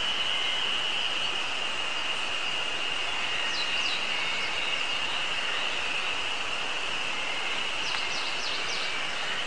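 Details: Ezo spring cicadas, newly started singing on a mountain on 24 May 2019, give a steady, high, shrill drone without pause, with Eastern Crowned Warbler and tit songs also audible.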